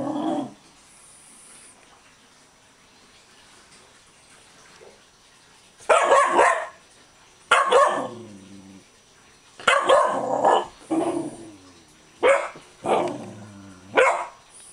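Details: Excited pet dog barking after being bathed under a warm shower: several seconds of quiet, then a burst of about seven harsh barks, some single and some in quick pairs, at uneven intervals.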